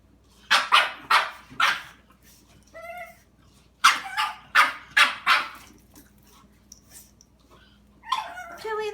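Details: Dog in a standoff with a cat, giving sharp barks in quick bursts of three or four, then a pause and another volley; a person speaks briefly between the bursts and again at the end.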